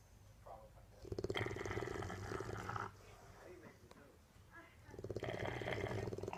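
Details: Deaf female Bulldog asleep on a couch, snoring loudly like an old man; long rumbling, rattling snores of about one and a half seconds alternate with quieter breaths, with a low hum in the room.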